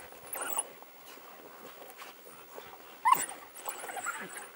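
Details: African wild dogs excavating a warthog from its hole; faint whimpers early, then a sharp squealing yelp at about three seconds followed by a few thinner whines over continual scratching.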